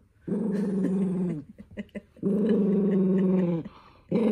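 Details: {'caption': 'A toy poodle, Minato, growls in anger as socks go on its feet: two long, deep, harmonic growls of over a second each with a short break of shuffling sounds, another starting at the end.'}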